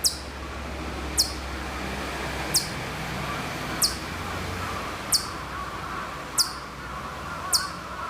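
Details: At Maruyama, Sapporo, in Hokkaido during September 2014, a Hokkaido chipmunk some way off repeats thin, high, abrupt chips about every second, seven in all, over a low rumbling background hum.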